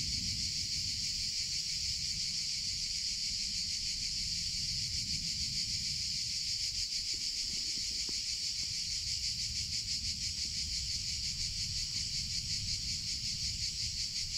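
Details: Summer cicadas produce a sustained high, rasping drone with fast regular pulsation, a faint low rumble and a couple of soft clicks around the eighth second.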